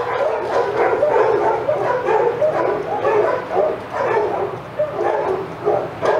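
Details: Rapid-fire, overlapping barks and yelps from a group of senior sanctuary dogs at Old Friends Senior Dog Sanctuary, roused as Titus goes by, forming a steady frantic chorus with only brief dips.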